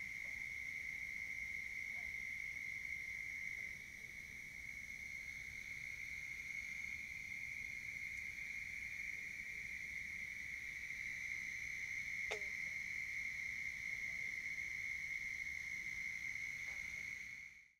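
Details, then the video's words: A warm spring night beside a pond in Richland County, South Carolina, 29 April 2021, with Bufo toads calling: an unbroken, fairly quiet high trill runs throughout, with a brief click near the end and low background hiss. "Toads Calling on a Spring Night"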